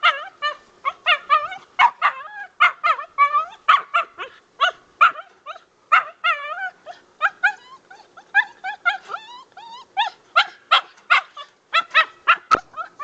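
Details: Dog on its first squirrel hunt, being trained for drive: excited, nearly continuous high-pitched yipping barks with strong harmonics, about two to three per second, each with a bent, wavering pitch, sustained throughout with no other clear sounds.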